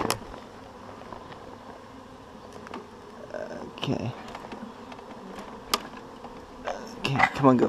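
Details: Honeybee swarm being shaken into a hive, the bees marching in: a low steady hum of many wings under sharp knocks of wood and a few clicks, with people talking near the end.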